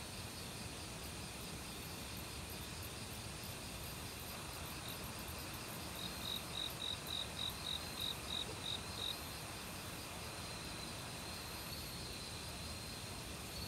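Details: A cricket in an autumn forest gives a clear run of about ten evenly spaced, sharp high chirps over three seconds, standing out from a steady chorus of various insects and rushing stream water.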